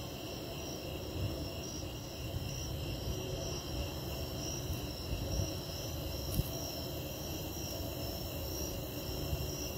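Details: Snowy tree crickets singing before a pending lightning storm: steady, continuous high trilling bands held through the whole stretch, over a low rumbling background of distant noise.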